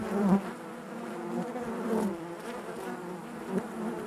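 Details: A short stretch of honey bee hive buzzing, a low, even hum with a few brief louder pulses from bees flying nearby.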